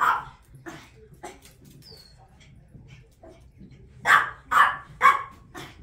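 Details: Puppy barking while playing with a pet African grey parrot at grandma's house. Soft talk and scattered noises come first, along with a brief high whistle. Then three sharp, loud barks arrive about half a second apart near the end.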